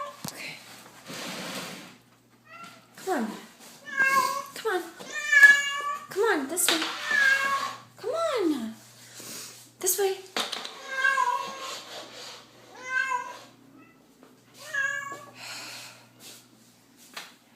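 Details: Feral cat loose inside a house, giving repeated harmonic meows and yowls, some sliding steeply down in pitch, spaced irregularly across the stretch, mixed with a person's urging speech and clatter from a small room.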